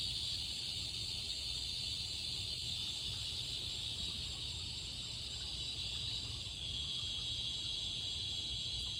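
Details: Cicadas singing in summer, an unbroken high buzzing drone that wavers slightly in pitch and strength, with a faint low rumble beneath.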